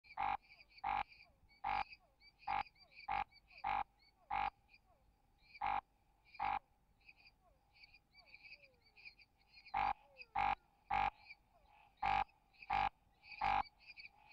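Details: A lesser snouted treefrog (Scinax fuscovarius) gives short, harsh, rasping croaks in uneven bursts, a call likened to a reco-reco scraper or scraping a gourd; the species occurs in restinga forest such as Reserva Natural Sesc Bertioga.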